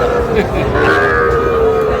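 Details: Sahiwal bull calf at a cattle market in Noakhali, Bangladesh, bought by a farmer; a drawn-out steady moo lasts about two seconds amid market chatter and background noise.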